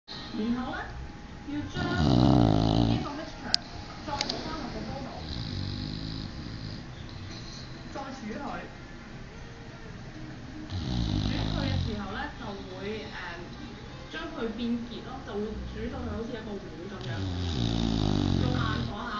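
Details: Twelve-year-old English bulldog asleep with its tongue rolling, giving deep rasping snores in loud swells roughly every seven seconds, with quieter wheezing breaths between; a person talks over parts of the recording indoors.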